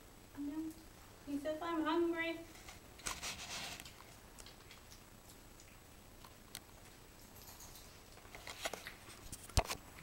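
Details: Five-week-old puppy indoors, described as hungry and not giving up, gives a short whine followed by a higher, wavering cry lasting about a second, then quiet room noise with scattered clicks and rustling.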